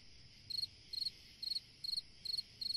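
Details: Cricket on a summer night giving six evenly spaced trilled chirps, each a tight cluster of rapid pulses, against a faint continuous buzz.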